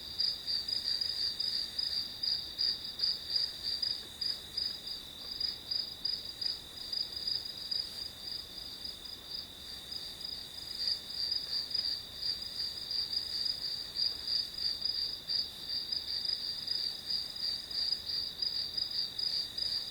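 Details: Grass insects chirping as background for studying, high pulsed trills repeating roughly three times per second above a continuous ringing tone, steady throughout with faint hiss.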